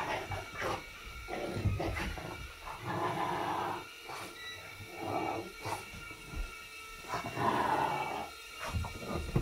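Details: Bob, a pet dog, jumps and barks in a living room while chasing a small indoor drone. Short, gruff barks and huffs come in bursts about every second, over the steady whine of the drone's rotors.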